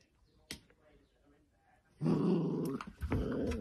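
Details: Playing sausage dog puppies: a faint tap, then a sustained throaty growl with a harmonic whine that rises and falls, broken by a brief pause before it resumes.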